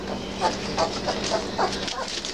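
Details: Three-week-old Basset Hound puppies, eager to play, give a few soft, short whimpering squeaks spaced through a steady hiss of background noise, with a person's voice nearby.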